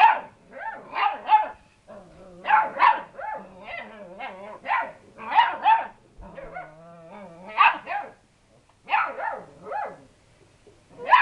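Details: Young lurcher cross pups bark at an unbothered pet cat, sharp high yaps coming in rapid bursts, mixed with lower growling whines between them.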